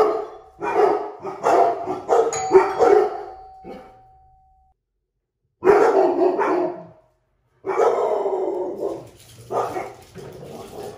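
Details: Violet, a black Labrador Retriever outdoors on a walk, barks at "Bigfoot" spying on her: rapid bursts of deep, rough barks in a loose series, a brief pause, a short volley, then more barking after a silent gap.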